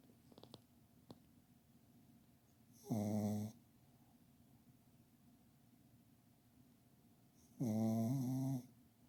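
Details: Pet dog sleeping under a kotatsu, snoring loudly: two long, harsh, buzzing snores with a rasping low drone and strong overtones, each about a second, spaced several seconds apart, quiet room between.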